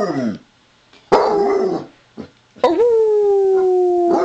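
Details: A female Basset Hound gives a greeting howl, her "Wookie chuckle", a drawn-out, wavering baying after short yelping bursts.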